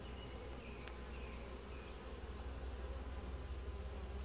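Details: Calm, gentle honey bee colony giving a low, even hum during a typical hive inspection, swelling slightly louder toward the end, with faint high chirps behind.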